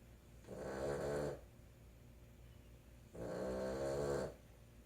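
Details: A female Boston Terrier snores in two long, rattling breaths of about a second each while sleeping indoors; the owner says she snored all night.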